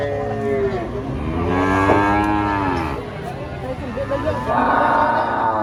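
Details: Giant female cow, enraged while being loaded under a tree, gives drawn-out, strained moos with rising-then-falling pitch, several overlapping in quick succession; voices and background noise around.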